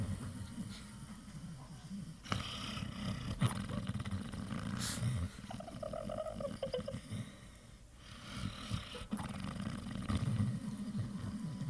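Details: Dreaming Pit Bull asleep, real snoring sounds; deep raspy rumbles carry through most of the stretch, with a brief thin whine-like tone partway through and a quieter pause before the snoring resumes.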